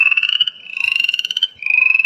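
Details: Chorus frog heard in the evening in West Virginia in spring, giving quick, rising pulsed trills like a thumb run along the teeth of a comb.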